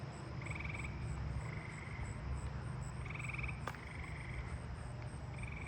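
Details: Loud, musical trills of eastern gray treefrogs, possibly in a nearby swimming pool in a neighbourhood, repeat over a steady high insect buzz of crickets and katydids.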